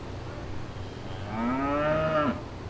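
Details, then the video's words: Cows in a field: one long moo, starting low and rising into a rich, harmonic, drawn-out tone before breaking off abruptly, over a steady low background hum. "Cows Mooing In Field"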